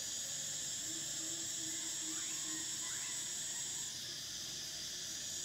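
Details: High, even buzzing drone from cicadas singing in summer, running continuously and ending sharply partway through, leaving a softer hiss with faint chirps underneath.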